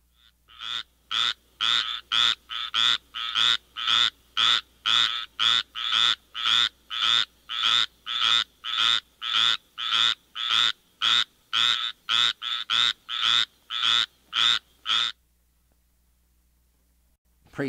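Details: A squirrel treefrog (Hyla squirella) gives harsh, buzzy, duck-like notes, about two each second, in a steady run.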